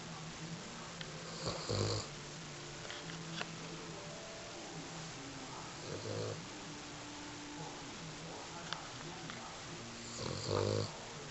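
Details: Sleeping female dog snoring softly, short rattling snores roughly every four seconds over a faint background hiss.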